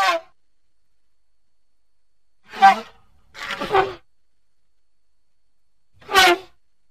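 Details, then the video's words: A baby elephant at play among the surrounding vegetation gives short, bright squealing hoots, each lasting well under a second, in three bursts with long silent gaps between them. "such a defenseless hoot is not at all small"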